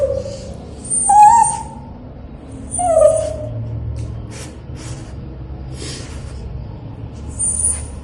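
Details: Dog being bathed gives two brief, quavering whimpers about two seconds apart, then only faint clicks and low background noise.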